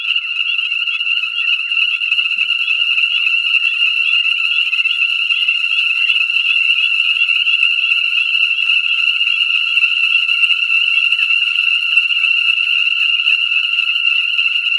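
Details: Ornate chorus frogs calling in a dense chorus at a breeding pool in Conecuh National Forest, southern Alabama, on New Year's Day 2017, light rain, about 67 F, pool freshly filled; continuous overlapping high shrill peeping notes.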